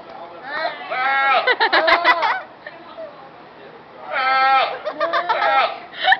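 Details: Goat penned alone at a county fair, thought to be missing its companions, giving two loud wavering bleats with a pulsing, shaky quality, while visitors chatter in the background.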